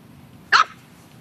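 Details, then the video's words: Single short yip-like bark from one of several seven-week-old English Bulldog puppies playing outside in grass for the first time; a brief bright burst against quiet background. "bulldog puppies 7 weeks playing in grass"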